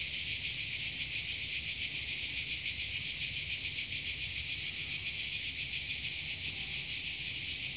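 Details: Cicadas in a forest in Croatia fill the air with a steady, high, hissing buzz that never pauses.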